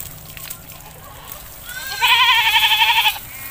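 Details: Goat being bathed in a village, letting out a single loud, bleat about a second long with a rapid vibrato.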